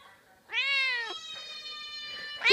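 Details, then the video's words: Indoors, a pet cat meows back at cat sounds coming from a computer: one long, sustained, slightly rising meow with rich harmonics, followed by the start of another sharp meow. "Funny cat meowing while hearing other cats on the computer"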